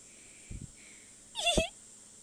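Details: A playful female Siberian Husky puppy, acting crazy and nipping, gives one brief, high, whiny yip after a couple of soft thumps.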